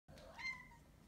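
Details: Pet cat indoors giving a short meow that rises then falls, about one second long, as a toy mouse is about to be thrown for the cats.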